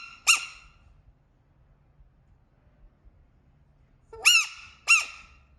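A frog gives three loud, shrill squeaks, each sharply pitched and falling quickly away.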